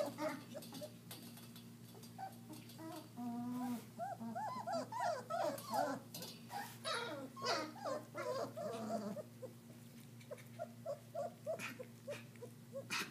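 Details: Several German Shepherd puppies, roughly 3.5 weeks old, at their first meal of raw meat, whine and squeal in a busy overlapping chorus of short rising-falling whimpers, rapidly repeated, with a constant low hum behind.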